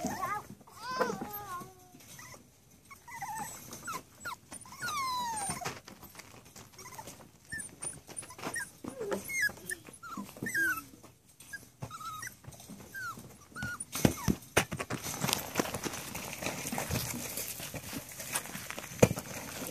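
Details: Young Rat Terrier pups at seven and a half weeks whine in looping, high-pitched cries early on, then softer scattered squeaks fade under dense clattering and rustling noise in the second half.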